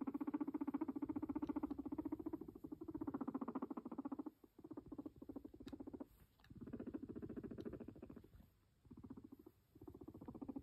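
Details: Pet guinea pig purring near its owner indoors, a continuous low, throbbing, rapidly pulsed rumble in several long stretches with short pauses and occasional faint clicks.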